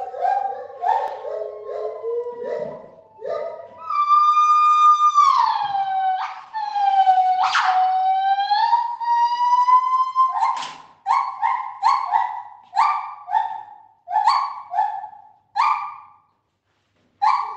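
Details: Gibbons in the main gibbon house of a zoo, loud enough that keepers wear ear defenders: a whooping, siren-like chorus of rising and falling hoots, climbing into long sustained wails, then breaking into a fast series of short repeated hoots.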